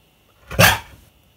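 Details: Siberian Husky indoors, vocalising as he refuses to pose for a selfie with his owner: a single short, harsh, broadband bark-like burst lasting under half a second, followed by a person's brief exclamation.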